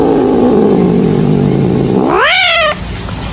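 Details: Angry cat gives a low, rumbling growl for about two seconds, then breaks into a short yowl that rises sharply and levels off before stopping.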